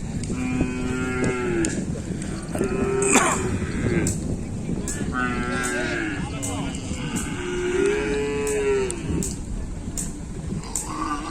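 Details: Cattle during busy kerapan sapi bull race training at the Asemanis track, Pamekasan: several overlapping sustained moos from more than one animal rise above a constant crowd roar with sharp clacks and shouts.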